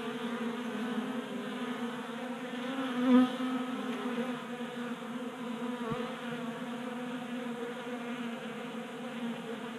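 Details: Many honey bees feeding at a tabletop bee feeder in a Colorado garage during unusually warm January weather; a steady, dense buzzing hum of many wings, layered low tones with a brief louder pass near three seconds and a soft click later.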